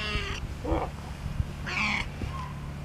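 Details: Bootsie, an aging female pet cat of about 13 that still plays like a kitten, gives two short harmonic meows about a second and a half apart, with human voices murmuring between them over a low steady hum.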